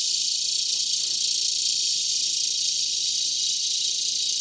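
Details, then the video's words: Cicadas in a mulberry tree right before sunset, Broken Arrow, Oklahoma, August 2020, produce a continuous loud shrill drone, even and unbroken throughout. "Cicada Chorus"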